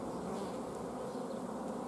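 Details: Steady massed drone of a honey bee hive, recorded 14 June 2016 at an apiary while lack of forage made the colony block the queen and refuse eggs; an even, thick hum without breaks.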